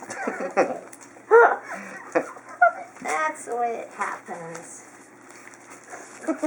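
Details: Feeding time for a litter of Chinook puppies, 12 February 2012: short, bright yelping squeals at about one and a half and two and a half seconds, mixed with a person talking and busy shuffling sounds indoors.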